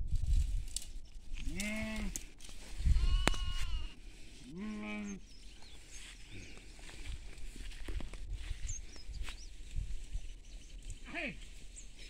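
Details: Goats grazing in a field with sheep nearby: two wavering, nasal bleats near the second and fifth seconds, a sharp knock between them, then a brief higher thin cry near the end over steady low outdoor noise.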